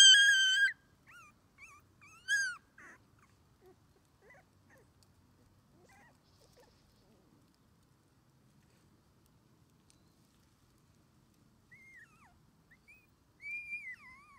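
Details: Only-child red Shiba Inu puppy, male, 21 days old, getting used to outdoor play beside its mother: loud piercing whimpers at the start, a long near-silent stretch with faint sounds, then renewed high whines near the end.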